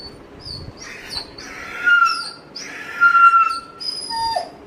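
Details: A Dobermann waiting eagerly for its owner gives high, thin, tonal whines: two long held cries with squeaky short notes between them, ending in a brief falling squeal.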